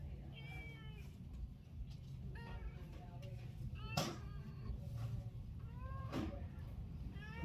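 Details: Cat calling with a series of soft, thin meows, several gliding down in pitch, scattered through the recording over a loud low rumble and background noise, with occasional clicks.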